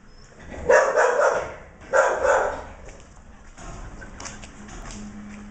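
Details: Border Collie x Australian Shepherd puppies barking: two loud, broad yapping bursts about a second apart, followed by quieter scuffling and faint whimpers.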